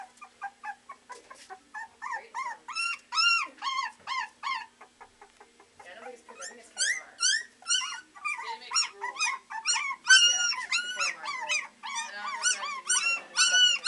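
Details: Three-week-old Beagle puppies at the Maryland SPCA shelter baying together: high, whiny arched yelps that rise and fall, repeated about twice a second in overlapping bursts, with a short lull midway and faint human voices.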